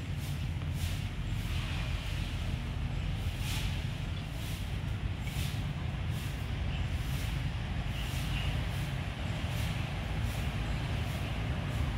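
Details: Steady low engine rumble from a vehicle, with faint rhythmic whooshing and no animal voice.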